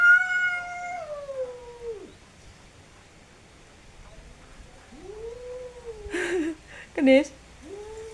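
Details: Fighting cats caterwauling: a long falling yowl, then a pause and lower wavering yowls, with a person's brief speech breaking in near the end.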